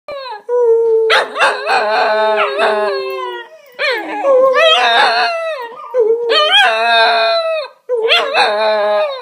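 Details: Cocker Spaniel. Several cocker spaniels join in a drawn-out howl, their voices wavering up and down and overlapping in a rough chorus. The howls come in bursts of a few seconds, separated by brief pauses.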